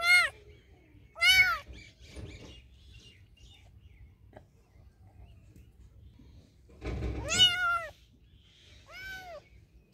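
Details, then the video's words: Domestic cat meowing: four loud arched meows with rising-then-falling pitch, two near the start, two near the end, with quieter chirps and rustling between. "Cats Sounds Love To Hear The Most Meowing Cats Cat Meow"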